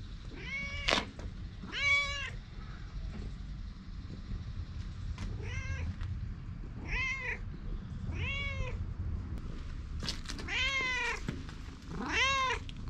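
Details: Outdoor stray cat, GoPro HERO8 recording, meowing insistently: roughly nine clear, arched meows with rich harmonics, spaced about a second apart, some rising then falling, over a steady low outdoor rumble.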